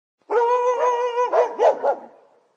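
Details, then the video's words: Dog recorded on a professional microphone: a drawn-out, steady whining tone for about a second, then three or four quick, rough barks that fade out, with silence around them. "Dog Barking sound effect"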